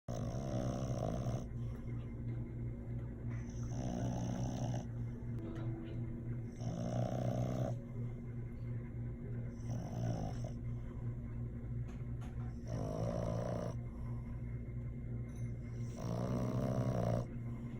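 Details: A French Bulldog snores while napping, in loud, rasping bursts with a steady low rumble between breaths.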